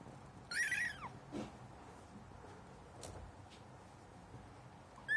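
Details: Kitten meeting cat litter for the first time, giving one thin, high meow early on, then rustling and scratching sounds, with another meow starting at the very end.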